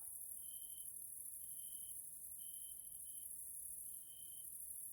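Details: Grasshoppers (Caelifera) in the evening in a Central European nature area in Hungary: a shrill, steady insect drone with four short, clean whistle-like notes at roughly one-second intervals.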